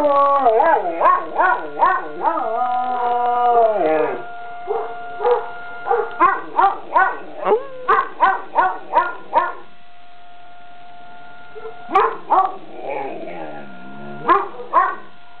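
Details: Young dog Avalanche howls at a siren from a nearby school: a long wavering howl sliding down, then a rapid series of short yips roughly every half second, a quiet gap, and more scattered yips over the steady siren.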